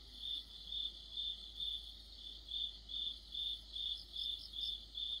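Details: Crickets in an autumn chorus: steady, high, ringing chirps repeated a little more than twice a second in an even rhythm, over a faint low hum.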